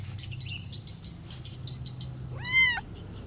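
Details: Kitten wanting food gives a single clear arched meow near the end, preceded by faint scattered chirps and a low background hum.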